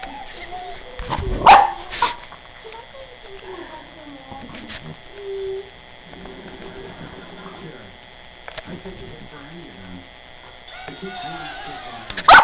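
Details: Rottweiler puppy barking and whimpering at an angry bird indoors; a few sharp loud barks near the start and end, softer whines and grumbles between, with a woman speaking and steady background hum.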